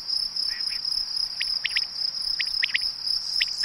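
Field crickets trill in a steady, high, ringing drone. Short chirps from a second cricket break in at irregular intervals over the top.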